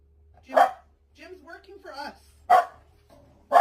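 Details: Dog barking three times, short, loud and evenly sharp, about two seconds apart, with a person talking softly in between the barks.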